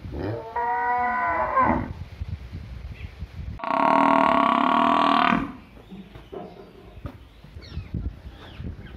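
A cow lows twice, a deep, harmonic-rich moo followed by a louder, longer, steady bellow.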